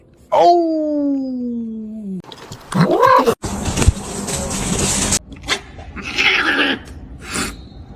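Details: Kitten gives one long, drawn-out meow that slides slowly downward in pitch over about two seconds, then rustling, clattering and short noisy bursts in a funny pets compilation.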